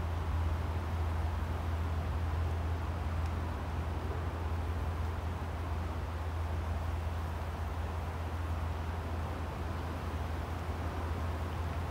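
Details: Steady broadband hiss over a constant low hum throughout, with no animal call heard.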